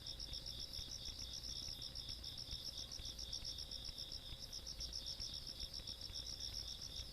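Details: Insects calling in the countryside at night on 17 August 2022: a steady high-pitched ringing trill with a faster pulsed chirping layer above it, several callers overlapping without a break, over a faint low rumble.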